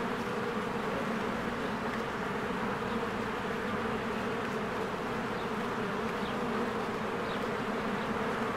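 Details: Many honeybees fly around a beehive in springtime as trees green. An unbroken, layered buzzing drone carries on, with scattered faint, short bird notes high in the background.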